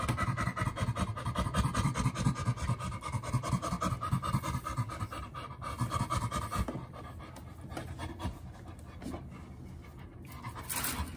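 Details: A pair of sanctuary chimpanzees at play, panting in quick breathy pulses at roughly two per second, louder in the first half and easing off later, with rustling and movement noises around them.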